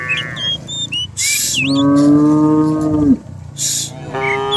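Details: Cattle herd coming down the hill in the morning in rural surroundings; a short moo, then one long steady bellow, with bird whistles and two bursts of hissing noise.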